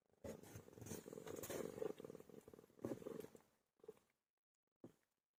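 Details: A domestic cat giving birth. Soft, rapid, rhythmic purring pulses come in two bursts of about two and three seconds, then brief faint sounds and quiet.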